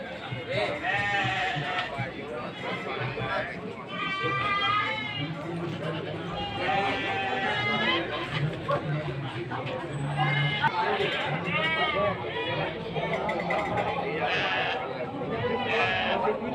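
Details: Goats at a livestock market in Sumpiuh, Banyumas, Central Java, Indonesia, around midday on 20 December 2025; wavering, quavering bleats recur through the clip, overlapping one another amid steady crowd chatter and market bustle.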